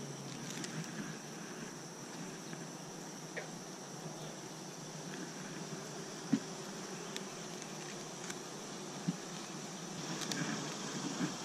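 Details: Honey bees droning around Apimaye hives in late season: a continuous low buzz with scattered faint taps and clicks and small swells in loudness toward the end.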